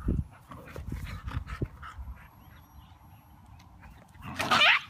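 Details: Siberian Husky puppy playing aggressively with its big brother and mother; soft scuffling and tapping, then one loud, brief, high whiny yelp near the end.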